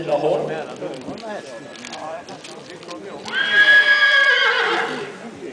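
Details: North Swedish stallion at a stallion breeding evaluation at Grevagården in 2010, a three-year-old placed sixth in its class; a man speaks over a loudspeaker, then a loud, strongly harmonic whinny rings out and trails downward at the end.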